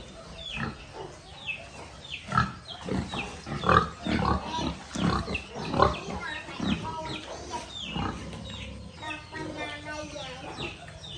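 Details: Cute little piglets on a rural pig farm giving a busy run of short grunts and squeaky squeals, loud and irregular, many overlapping, with a harmonic whining squeal near the end and a constant low hum behind.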